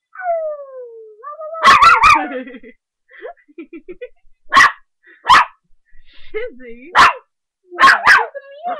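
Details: A 3½-month-old puppy at play, barking hard: sliding whines lead into clustered sharp barks, with soft whimpers between them and further single and paired barks.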